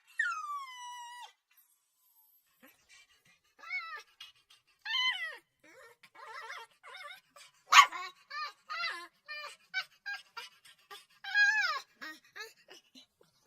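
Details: Crying puppy opening with a long falling whine, then a string of short whimpers and yips at irregular intervals, with one sharp louder yelp in the middle and a few drawn-out wavering cries.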